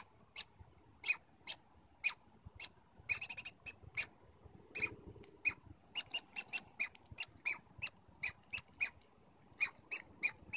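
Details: Stanley Park squirrels communicating with short high squeaky chirps in irregular series, some closely spaced pairs and quick bursts, with brief pauses between; little other sound.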